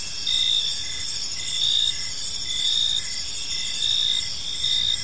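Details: Crickets in a tranquil park as evening falls: loud high chirp pulses recurring near once per second over a steady background trill, several insects calling at once in an otherwise calm setting.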